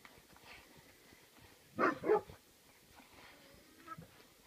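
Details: A litter of 8-week-old Rhodesian Ridgeback/Saint Bernard mix puppies: two quick, loud, high yelping barks in close succession stand out over a quiet background with faint low rumbling.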